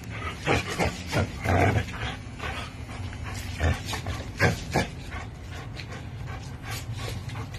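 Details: Two dogs, an American Bully and a Pitbull, tugging on a Tugmutt toy; a deep, continuous growl rumbles low throughout, mixed with panting breaths, sharp snorts and rustling from the struggle.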